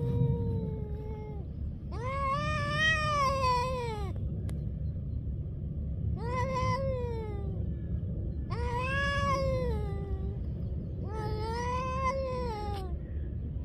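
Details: Street-living stray cats in a fight trade loud, rising-and-falling howls about two seconds long, four separate wails arching up then dipping, over steady low traffic-like rumble.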